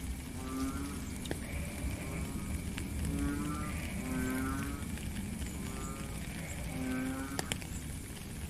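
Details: Frog calling in the rain, with several short droning honks about a second apart, partly masked by heavy low rumbling rain noise and occasional drop clicks.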